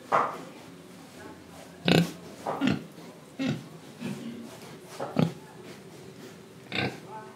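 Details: Grunting pig recorded in Indonesia while breathing and eating: a loose series of short, husky oinks about every second or so, some stronger and raspier, over faint background snuffles.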